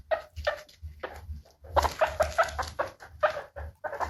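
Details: Happy guinea pig vocalizing indoors: clipped, bright squeaks repeated in quick succession, some notes slightly rising, interspersed with softer chuttering pulses over a steady low hum.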